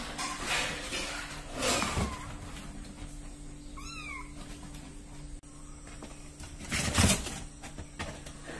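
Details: Young domestic kitten, between 24 and 32 days old, one of three littermates kept indoors: a single clear, high, slightly rising meow with rich overtones in the middle, surrounded by bumps and shuffling handling noises.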